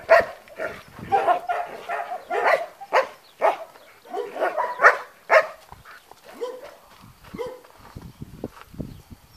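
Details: Long-haired German Shepherd, trained, guarding at a school in Spata, Greece: a string of deep, forceful barks about two per second, some doubled, tapering into softer, shorter woofs toward the end.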